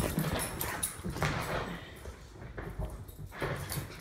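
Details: During play-fighting between a Jack Russell Terrier mix and an English Bulldog, steady low guttural growling runs throughout, punctuated by short harsher bursts and rustling from the tussle.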